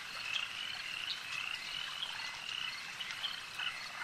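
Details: Many frogs call together at a lake: a continuous high-pitched chorus of rapid croaking pulses, with brief bright notes popping out every half second or so.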